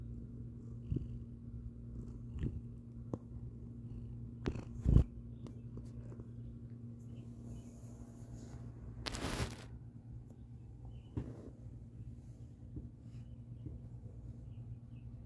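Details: Pet cats settling down for a nap after dinner indoors, among toys: a steady, low, continuous purr throughout, with a few soft clicks and a short rustling noise partway through.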